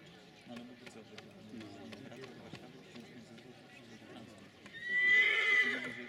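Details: Silesian stallion letting out a single loud, ringing neigh near the end, roughly a second long and fairly even in pitch, after several seconds of people talking nearby.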